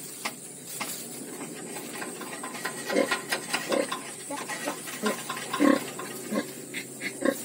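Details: Ten newborn piglets in a farm pen give short grunting squeaks in irregular bursts over a steady hissing background.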